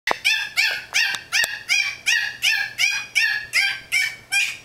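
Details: A Yorkshire Terrier puppy in his playpen gives high, sharp yapping barks, about three per second, at a cat he wants to play with.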